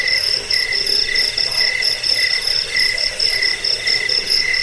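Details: Chirping cricket in a track used against rats, for sleep and as a bird-song tutor. Bright high-pitched pulses repeat steadily, roughly two per second, above a continuous thin ringing.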